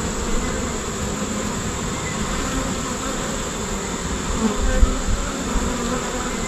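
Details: Swarming honey bees produce a steady, even drone of many wings humming together, with a few brief louder passes near the end.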